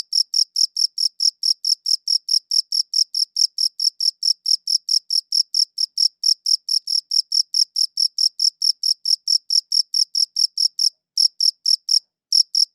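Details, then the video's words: Crickets giving a run of shrill, evenly spaced chirps, roughly four each second, on a high-quality recording; near the end the pulses falter and stop for about a second before resuming. "Cricket Chirping Sounds"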